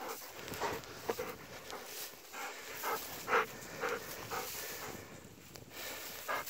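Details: Golden Retriever Kohaku on an eight-minute walk on 19 February 2017, excited and playing with a person. Breathy bursts of panting recur about twice a second over steady outdoor background noise.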